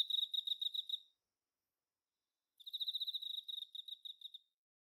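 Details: Male Emma field cricket singing: a short burst of rapid, clear high-pitched chirp pulses, a pause of about one and a half seconds, then a longer trilled series of pulses fading at the end; no other sounds.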